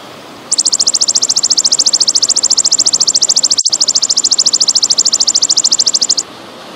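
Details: Golden grasshopper call, recorded as training audio for songbirds: a rapid, even train of dry, very high buzzing pulses, about nine per second, lasting nearly six seconds, broken once by a brief click, over faint background hiss.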